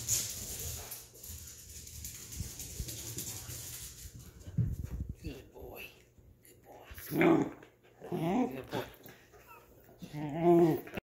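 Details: A corgi gives short, rising whines and whimpers, begging to play, as a person talks and offers to throw its bone.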